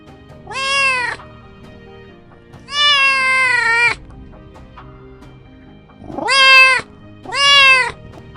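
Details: Domestic cat meowing four times: high, clear, slightly rising-then-falling meows under a second long, the first two spaced about two seconds apart, the last two close together, over faint background music.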